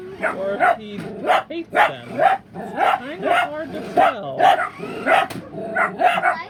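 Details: Pet dachshund barks at remote-controlled Super Mario and Luigi toy cars while a second dachshund barks out of sight; repeated sharp barks roughly every half second, overlapped by human speech.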